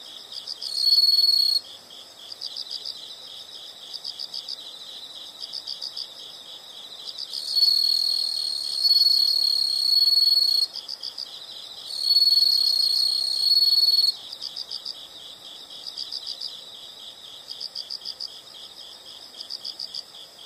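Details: Continuous chorus of high-pitched insect chirps, pulsing rapidly, with three loud drawn-out shrill trills rising over it, the longest lasting about three seconds, and quieter gaps of rhythmic chirping between.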